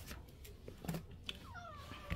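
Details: A stray cat visiting at feeding time, one of the sibling pair Kotdeungi and Kkamangi, lets out a brief falling meow after scattered taps and rustles, while a person calls the cats in to eat.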